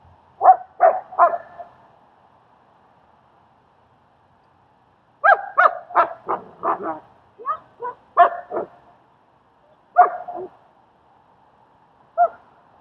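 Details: Training and socializing session in Queens, New York, with Strike, a German Shepherd, and Leonidas: short yappy barks come in bursts, three quick ones, a long pause, then a rapid run of about a dozen, and a few stragglers over a faint steady hum.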